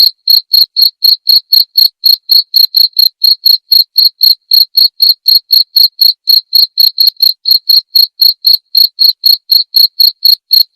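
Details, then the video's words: Clean, continuous cricket chirping used for murai batu song training and played every evening: sharp, ringing high-pitched chirps repeated about four times per second at a steady pace throughout, with a quiet background. "masteran suara jangkrik jernih!"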